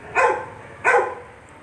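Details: Labrador retriever puppy giving two short, sharp barks about 0.7 seconds apart, each a brief bright burst, against a quiet, low background hum.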